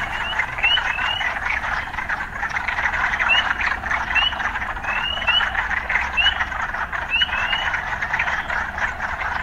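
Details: Urban frogs, a dense pulsing chorus filling the mid range, with about a dozen short rising whistled notes scattered irregularly over it; a steady low hum of city life runs underneath.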